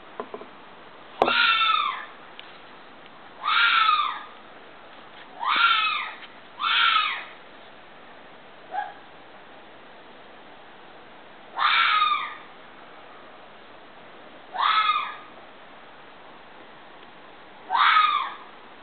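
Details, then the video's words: Fox screams repeated irregularly, seven harsh rasping shrieks spaced one to three seconds apart, each brief and slurring downward, plus one short softer yelp and a sharp click near the start. "fox scream"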